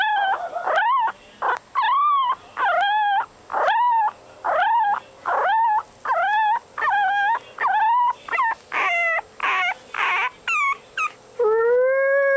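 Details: Chihuahua delivering a rapid series of short, arched yelping howls, roughly one per second, each rising then falling. The run ends in a longer, steady drawn-out note.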